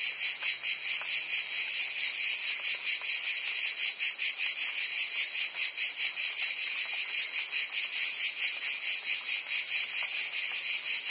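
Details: Summer chorus of cicadas in Provence, France, a steady high-pitched buzz made of rapid pulses, several insects blending into one unbroken wall of sound; nothing else clearly audible.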